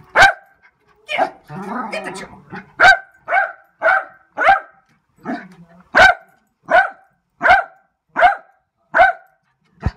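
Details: A Lakeland Terrier barking steadily: a long series of sharp, evenly spaced barks roughly every half second to second, with a brief stretch of muffled voices and rustling early on.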